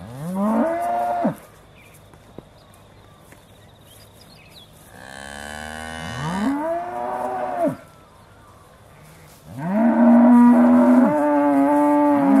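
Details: Aussie Red dairy cows mooing just before milking, recorded December 2012; three drawn-out lowing moos, the last long and steady, with quiet gaps and a faint high whine between calls.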